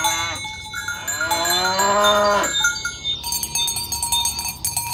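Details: Tame cows herded along village roads toward the pen in the morning: a long harmonic moo rising then falling, with cowbells clanking and jingling throughout and a sharp tonal ringing that continues after the call ends.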